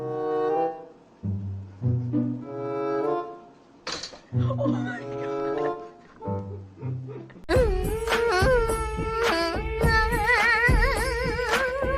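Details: Slow stringed music with low bowed bass notes and pauses, then a fuller section with a wavering, wailing melodic line; no animal sounds are present.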